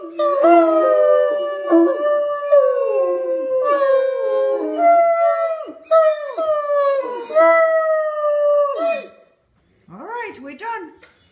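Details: Otterhounds, three dogs, howling as a chorus for a howling contest; loud wavering howls repeated in long phrases that fall at their ends, then a short pause and a few shorter yelping howls.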